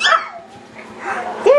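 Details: Yorkshire Terrier puppies playing wildly indoors: short high yips and squeals, one rising whine near the end, with a person talking softly between sounds.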